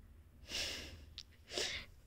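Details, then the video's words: Whiskey, a German Shepherd, reacting to extreme cold: two breathy, hissing snort-like bursts of air, each about a third of a second, with a brief faint squeak between them, indoors. "German Shepherd is feeling extremely Cold"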